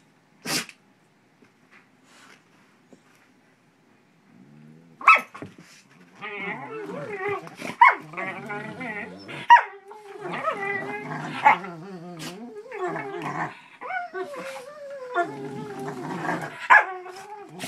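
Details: Pit bull puppy pestering a shepherd buddy at play. After an opening snap and near silence, continuous rough growling and wavering whine-like snarls build from about five seconds, with sharp bark-like bursts throughout.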